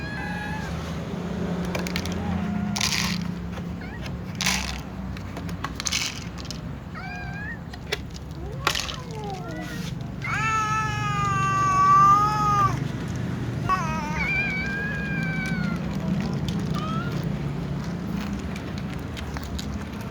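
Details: Little cats calling sleepily before a meal among other cats; scattered short meows and clicks lead to a loud, long, wavering meow near twelve seconds, followed by shorter meows over low rumbling background noise.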